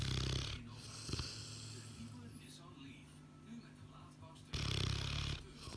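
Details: Sleeping Boerboel dog snoring; two loud rasping, low-pitched breaths at the start and near the end, with quieter steady breathing between them.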